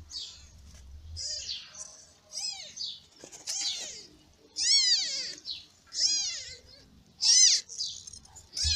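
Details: Newborn kittens born in May, crying while sleeping and being fed by their mother cat: high, thin, arched squeals repeated in quick bursts, some rising then falling, several overlapping, with faint low rumbling between cries.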